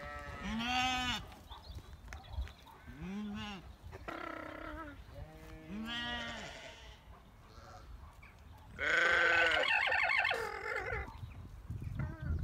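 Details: A female alpaca on a farm in County Kilkenny, Ireland, "sings" her song, giving nasal, bleat-like cries that rise and fall, repeated every few seconds.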